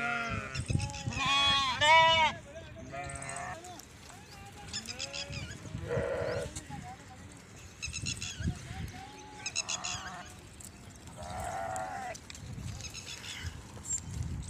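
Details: Sheep and goats grazing under Maldhari Rabari herders near Indore, Madhya Pradesh; several wavering, harmonic bleats overlap and come in uneven bursts every second or two, mixed with human voices and the bustle of the flock.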